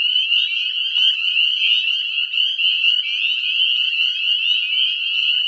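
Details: Breeding Northern spring peepers in full spring chorus within a small woodland; a relentless shrill wall of overlapping rising peeps, with a short soft rustle near the first second.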